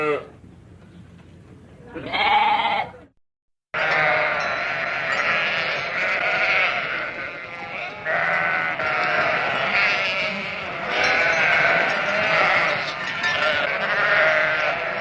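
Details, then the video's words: Sheep: a short wavering bleat near the start, a brief silent break, then a continuous dense chorus of many overlapping, quavering bleats from a large flock filling the rest of the recording. "FARM ANIMAL SOUNDS : GOAT DOG SHEEP COW DUCK"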